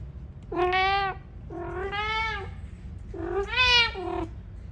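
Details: Pet cat asking for food, giving three long, clear meows in quick succession, each arching up and down in pitch with rich harmonics, the last one loudest, over a faint low background hum indoors.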